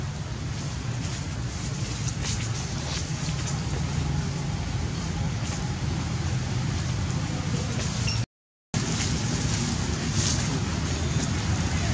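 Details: Steady low road-traffic rumble with faint voices, broken by a short gap of silence near the end.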